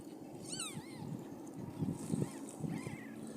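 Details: During a Siamese cat's delivery of five kittens, a sharp high squealing mew sweeps up and down, then a shorter mew; later a wavering, drawn-out mew, amid low rumbling and thumping handling sounds.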